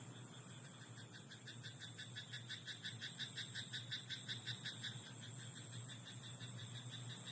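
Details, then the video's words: Frog croaking in a rice paddy at night: a faint, steady train of rapid clicking pulses, several per second, rising and fading over about five seconds above a constant background hiss and hum. "田んぼのカエル "Croaking frog in rice paddy at night""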